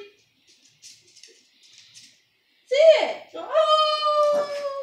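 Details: Pet dog howling as its owner tries to get it to howl: soft voices at first, then a loud sliding wail that rises and falls, followed by a long, steady, tonal howl to the end.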